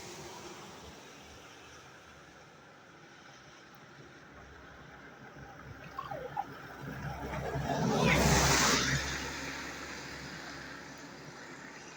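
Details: Steady background rumble with sloshing water and a passing swell of noise, possibly a vehicle, peaking near the eighth second; no clear animal voice.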